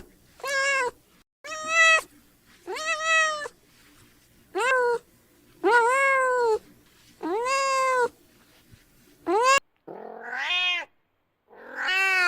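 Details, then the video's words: Adorable kitten crying in a run of seven arched, somewhat lower meows that rise then fall, evenly spaced, followed by two rougher, shorter calls near the end. "Adorable kitten meowing - Kitten crying"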